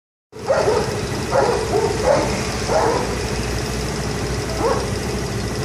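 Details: Aggressive stray dogs at a central street corner in Cañada de Gómez, October 2017, bark in short, rough bursts over a steady traffic-like hum.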